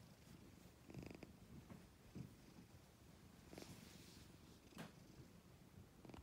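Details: A black and white cat's soft, low purr pulses unevenly, with brief louder swells about every second and light rustling noises.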